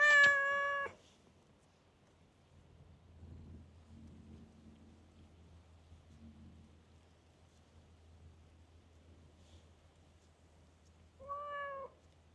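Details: Park stray cat known for chattiness: one strong, bright meow at the start and a softer, lower one near the end, separated by a long quiet stretch of faint murmuring and low hum.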